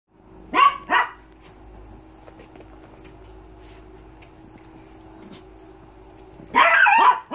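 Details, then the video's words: Dogs barking indoors, startling a Miniature Pinscher doing a happy blanket roll at a small-dog foster rescue in South Florida: two sharp barks near the start, a quiet pause, then a louder burst of barking at the end. "startled by the dogs barking"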